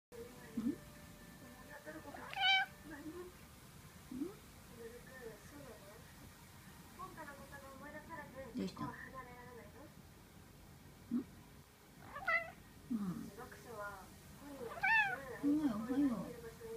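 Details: Chatty Norwegian Forest cat, recorded 12 April 2015, talking in a series of short, varied meows and chirps, some rising and falling, spaced irregularly across the clip with quiet pauses in a small indoor room.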